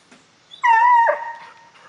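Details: Hound giving one loud, drawn-out baying howl, a steady mid-pitched tone held for about half a second, then breaking into a lower, fading tail.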